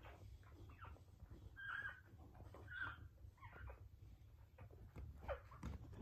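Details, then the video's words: Pit Bull (Bully) whelping her first litter. Two short, squeaky, nasal whimpers come about a second apart, followed by fainter whines over soft rustling and low room noise. "Pitbull/Bully giving birth"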